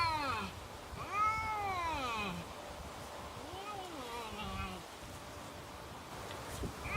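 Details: Neighbourhood cats in a standoff, trading drawn-out wavering yowls that rise and fall in pitch, several overlapping howls in the first half, then lower moaning calls; steady background hiss.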